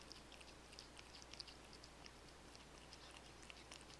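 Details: Pet cats licking and chewing chicken-flavoured wet food, dry kibble and bonito flakes, captured on basic recording gear: dense, quick, crisp ticks and moist smacking in rapid irregular succession against a faint steady background hum.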